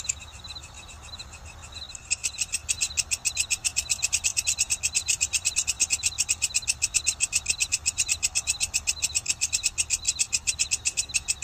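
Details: Walang kecek grasshopper calling: after a quieter lead-in of faint buzzy notes, loud high-pitched rasping pulses start near two seconds and repeat steadily about four times a second over a faint low hum.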